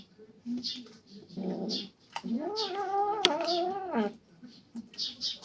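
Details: Three-month-old kittens squabbling over a rat snake one of them hunted; a drawn-out, wavering, growling yowl of about two seconds rises and then sags, framed by soft scuffles and rustling before and after.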